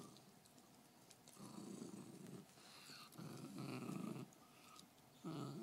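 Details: Guarding her bone, Fergie, a female beagle, rumbles out three deep, sustained growls, each about a second long, rising and easing off between breaths.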